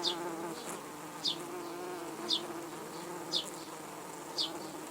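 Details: Red-tailed bumblebees around their dug-up nest, threatened by ants, just before a rescue of the cocoons. A continuous humming buzz with stacked overtones lasts throughout, with short high chirps about once a second.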